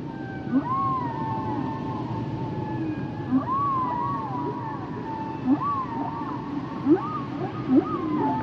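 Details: Humpback whale song: arched whistled swoops repeated every couple of seconds, each paired with a short rising chirp, layered over a steady tonal hum and soft underwater rumble.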